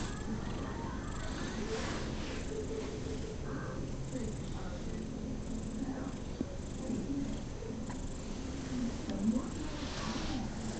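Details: House cat purring contentedly during a pat, sitting still for once; even low buzzing purr runs throughout, broken by faint rustles and a brief soft tap near the nine-second mark.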